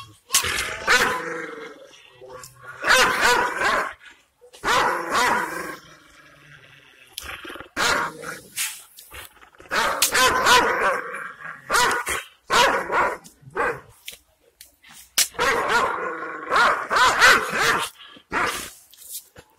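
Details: Fierce Kangal shepherd dogs in Anatolia, Turkey, meeting unfamiliar people and guarding their owner's property. Heavy barks come in repeated clusters, mixed with growls, with brief quieter spells between them.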